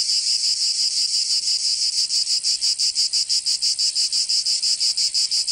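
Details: Summer cicada chorus from Provence in the south of France, a harsh high buzz that starts smooth and breaks into rapid regular pulses roughly three per second, holding steady throughout.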